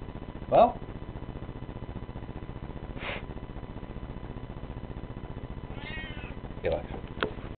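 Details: A Siamese cat, male, gives several loud, drawn-out meows while being handled and rubbed on the belly, with a person speaking softly in between.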